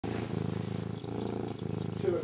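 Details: Old Abyssinian cat recorded close up; a steady, low rumbling purr with a fine pulsing texture that swells and dips with each breath, about once a second, with no other sounds.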